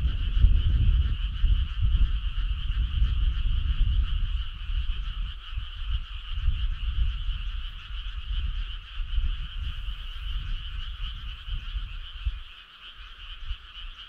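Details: Chorus of frogs on a summer night, an unbroken rattling trill of overlapping calls held for the whole stretch, over heavy low rumble that eases near the close.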